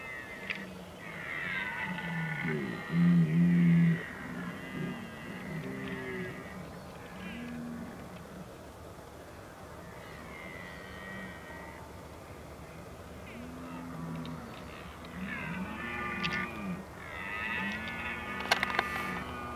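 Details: Red deer during the rut, filmed at Oostvaardersplassen in the Netherlands on 15 October 2011; low, drawn-out arched calls with strong overtones, repeated every second or two, with higher harmonic calls and faint background noise.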